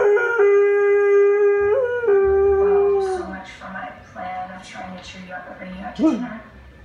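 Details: A dog howling along to The Young and the Restless playing on TV: a long, steady, tonal howl with a brief upward bend, then fading into softer wavering notes while television voices and music continue underneath.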